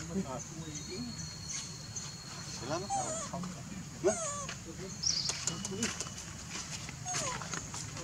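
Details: Baby monkey calling its mother for milk: curved, rising-and-falling squealing calls near three and four seconds over a steady outdoor background hum, with a few sharp clicks and knocks.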